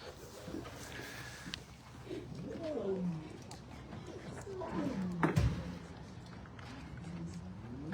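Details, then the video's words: A lioness named Nirvana, still in her transport cage on unloading day at a wildlife refuge, gives low, moaning calls to her waiting cubs, with human voices and handling noise around her. "The guys are waiting for their mama to be unloaded. You can hear her in there calling them."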